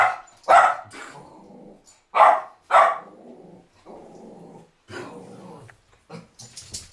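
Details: Border Terrier giving a few loud, harsh barks spaced unevenly, between them stretches of low, rough growling and grumbling, ending in softer scuffling noises.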